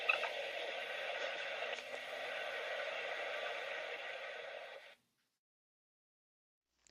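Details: Steady broadband hiss like radio static for about five seconds, then silence. No animal calls can be picked out.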